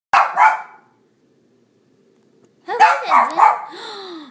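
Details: A three-year-old female Shih Tzu, a pet, barks at her own reflection: a quick pair of sharp, harsh barks, a pause, then a run of three barks that slide into a wavering, howl-like whine.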